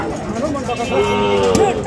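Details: Sahiwal bull calf being fattened, at the Ambari cattle market in Dinajpur district on 24 November 2025: a single drawn-out, slightly rising moo with clear harmonics in the second half, amid market chatter and bargaining voices.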